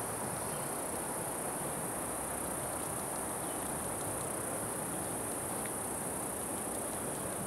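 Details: Unidentified cicada recorded 26 June 2013 alongside Platypedia putnami and Okanagana bella, with a circular-saw-like sound: a steady, unbroken very high-pitched buzzing drone holding level throughout, over a faint low rumble of background noise.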